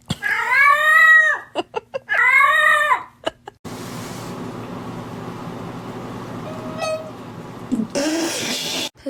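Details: Domestic cat meowing indoors: two loud drawn-out harmonic meows, each rising then falling, over the first three seconds, followed by a stretch of noisy background with a short whine and a final rough burst.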